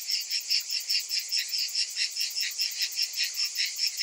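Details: A summer afternoon cicada chorus: a bright, piercing buzz beating in fast, fairly regular pulses, about two and a half per second, continuous for the whole stretch.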